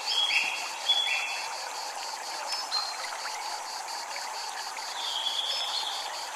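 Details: Cicada chorus in Japanese temple surroundings: rapid, evenly spaced high pulses run unbroken beneath running water, joined by a few short chirps near the start and end.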